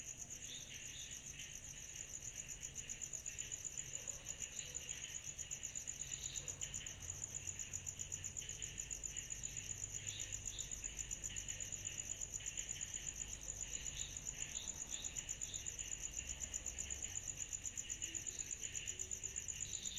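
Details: Cicadas on a summer night keep up a continuous high-pitched ringing drone. Brief chirpy notes from other callers rise and fade now and then beneath it, over a faint low hum.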